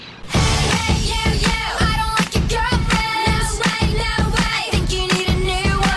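Loud, rhythmic pop music with singing and a steady beat fills the recording, and no animal calls come through.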